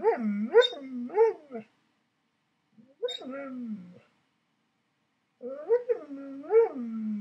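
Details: An Alaskan Malamute in bed with its owner, "talking" as if saying "I love you"; rising and falling howl-like moans in three-syllable phrases, pausing between bouts, in a quiet room.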